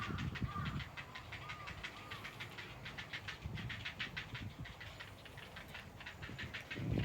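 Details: At Odawara Castle an unseen Ezo haruzemi cicada keeps up a fast, even pulsed buzz, roughly three beats a second, fairly quiet beneath gusty wind, with brief bird chirps early on.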